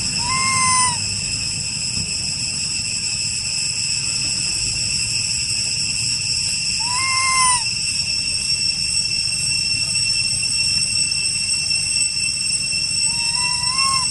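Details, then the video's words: Young brother and sister monkeys, lost from their mother and group, calling loudly for the group; three clear arched whistled calls, spaced roughly six seconds apart, over a constant high-pitched droning hum and low rumble. "Pity Both Brother And Sister Monkeys Lost Mummy And Their Group/ Calling Group Loudly"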